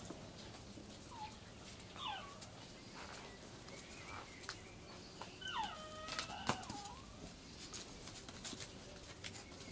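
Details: Seven-week-old Cairn Terrier pups recorded 12 June 2012, born 25 April: short squeaky whimpers early on, then a louder cluster of rising and falling tonal whines around the middle, with faint clicks and rustles between.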